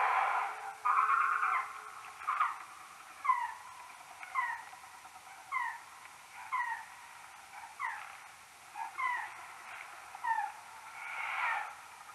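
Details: Common noctule bats near a maternity roost, recorded on an EchoMeter Touch 2 Pro and slowed tenfold. Short downward-sweeping chirps repeat about once a second, with louder buzzy bursts at the start and near the end.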